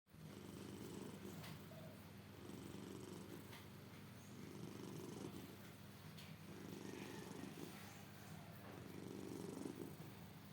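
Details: Pet cat snoring while asleep indoors: low, rough rhythmic rumbles in slow breaths, each swelling for about a second and a half with short gaps between.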